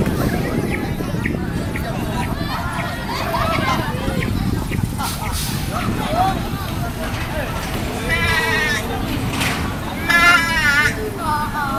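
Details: Goat bleats: two quavering, wavering cries late on, with voices and a steady outdoor rumble behind.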